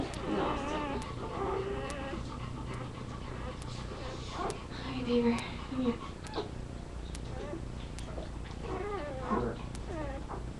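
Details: Labrador Retriever puppies whimper and squeak in short, wavering high notes while people talk nearby.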